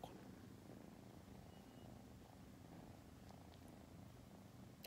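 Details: A female tortoiseshell rescue kitten, born August 2020, purrs while sleepy in a steady, low, rumbling drone that pulses softly without pause.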